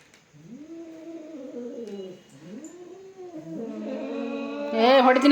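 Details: Domestic cats fighting indoors: long, low, wavering yowls rising and falling in drawn-out arcs, one after another, ending in a louder harsh squall, with a person's voice nearby.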